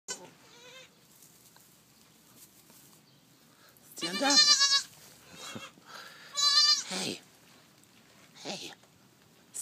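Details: Newborn baby goats making a lot of noise: loud, wavering, nasal bleats in short bursts separated by quiet gaps, with a person speaking softly in the background.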